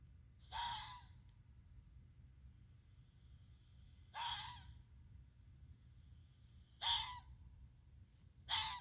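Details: Red fox yelling, likened to a human screaming out loud, played among creepy sounds: four short harsh hoarse screams, each under a second, spaced roughly two to three seconds apart over a faint low hum.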